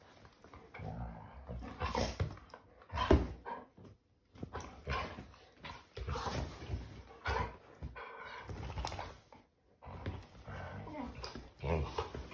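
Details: Labrador Retriever and English show Cocker Spaniel at play on their sofa bed indoors: throaty growls, huffs and snorts come in uneven bursts separated by short pauses, amid thumping and fabric rustle.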